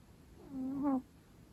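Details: Pet long-coat Chihuahua taking an afternoon nap, snoring like an old man: a single half-second nasal whistle, steady and slightly rising before stopping abruptly, in a quiet room.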